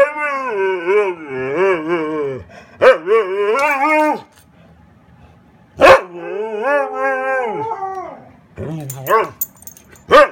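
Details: Dog vocalising in wavering, yodel-like howls with rising and falling pitch, delivered in several bursts separated by short pauses and sharp clicking noises.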